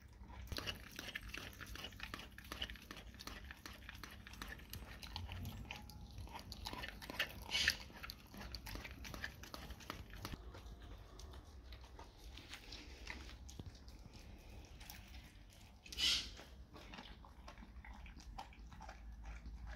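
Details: Steady, dense wet chewing and gnawing as a dog eats raw cow tongue indoors, crackly bites running continuously with a couple of louder slurps.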